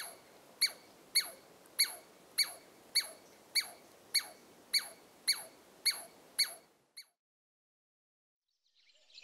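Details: Alarm calling Douglas squirrel on Carpenter Mountain in Oregon's H.J. Andrews Experimental Forest, USA: eleven sharp, falling squeaks at a steady pace of under a second apart, then abrupt silence.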